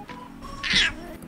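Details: A male black-and-white, cow-patterned rescue cat at a cat café barks like a dog when excited or annoyed. Here he gives one short, harsh, bark-like cry, protesting at being petted.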